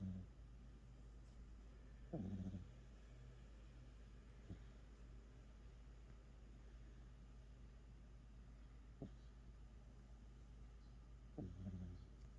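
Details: Sleeping pet cat snoring, with a few brief raspy low snorts spaced several seconds apart, the strongest near the start and the end, against constant low background hum.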